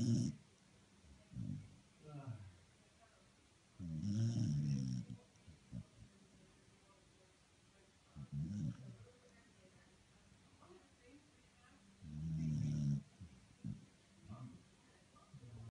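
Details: Sleeping dog snoring indoors: deep, low rumbling snores in irregular bursts, the longest around a second each, separated by quiet pauses of several seconds, with faint breathing in between.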